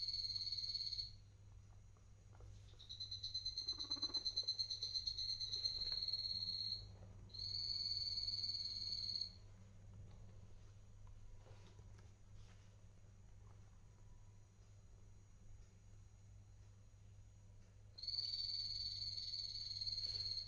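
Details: Adult-adopted pet guinea pigs on Guinea Pig Day, 6.12.2022. Sustained high whistles come in a run of three, each one to four seconds long. After a long quiet stretch with a low background hum, a fourth whistle begins.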